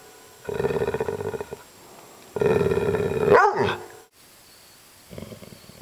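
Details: Upset dog named Maggie produces two long pulsing growls, the second ending in a sharp swooping yelp, followed by silence and a faint trailing grumble.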